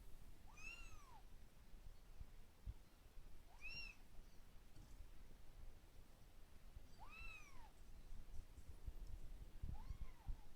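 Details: Kitten indoors, taking its frustration out on the person filming, repeats clear bowed meows, four in about ten seconds, each swelling up and sliding down, with faint handling noises between.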